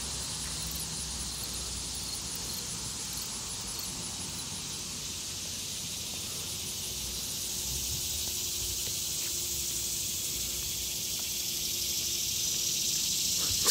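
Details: Annual cicadas singing in summer in a quiet urban neighbourhood, a jungle-like chorus: a loud, steady, hissing high-pitched drone with a fast pulsing shimmer on top that swells slightly louder toward the end, with no traffic heard.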